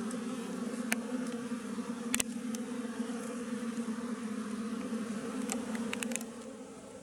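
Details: Wild western honey bees at their tree nest, a continuous low humming drone broken by several short sharp clicks and taps, fading a little at the end.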